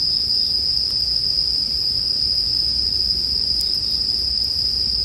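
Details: Bell crickets paired with campfire sounds for sleep; a steady, piercing high ringing drones without pause throughout, with a few faint crackling clicks from the fire breaking through.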